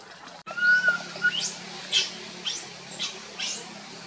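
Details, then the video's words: A tiny monkey, Boston, wandering his group and crying loudly: one long wavering coo, then a string of sharp, high squeaky screeches repeated about every half second, with faint background murmur. "tiny monkey Boston walk wandering his group try crying loudly call"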